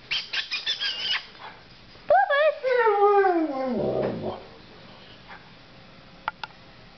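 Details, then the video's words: Puppies howling together in a group described as making music: a few short squeaky yips, then one long wavering howl that slides steadily downward in pitch and fades, followed by near quiet and a faint click. "Howling snow dogs"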